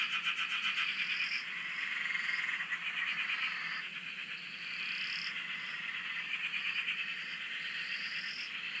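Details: Australian frog chorus at a dam, heard from a shack on its bank: a thick, throbbing mass of rapid pulsed calls, with sharper rising notes breaking through roughly every one to two seconds.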